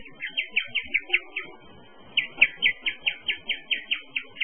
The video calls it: Guinea pig kuş gibi öter mi? Böyle ses duymadınız!